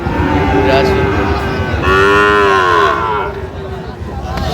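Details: Sahiwal bull calves at Raniganj cattle market, Gazipur, on 7 August 2025, during buying. A drawn-out, harmonic moo rises and then falls for about a second and a half mid-clip, over steady crowd chatter and market noise.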